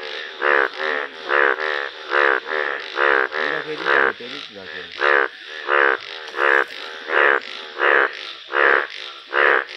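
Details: Indian bullfrog chorus from yellow-coloured frogs outdoors: loud, nasal, bleating croaks repeated fairly evenly, a strong burst about every three-quarters of a second over a softer background of other calling frogs.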